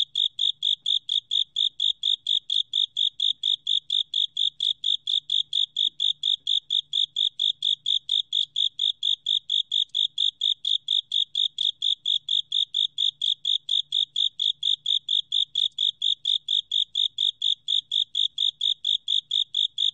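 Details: Japanese burrowing cricket giving a long, unbroken run of crisp, high chirps at roughly four per second, very regular and even in volume throughout, with only a faint low hum underneath.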